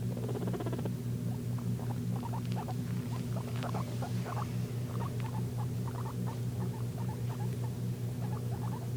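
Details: Domestic guinea pig making wheeking sounds, brief high squeaks bunched in rapid little bursts, some with sharp clicky edges, set against a constant droning low hum throughout.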